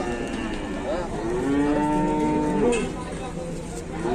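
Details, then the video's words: Moo from a cow found trapped while being given a drink; one long, steady, low-pitched lowing call with rich harmonics, swelling in the middle and ending in a short upward bend, over constant background noise. "NGGAK NYANGKA ADA SAPI YANG TERJEPIT"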